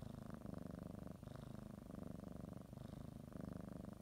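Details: Domestic cat purring while kneading and biting a blanket before her morning nap; a steady low rumbling purr with rhythmic inhale-exhale cycles, brief breaks near one and three seconds.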